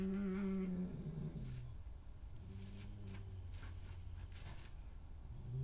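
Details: Badgers in a scuffle as Hattie, a dominant female, drives a newcomer off her patch, 20/05/2018; low tonal growls and a brief rising whine, then a quieter rumbling stretch with soft scraping noises.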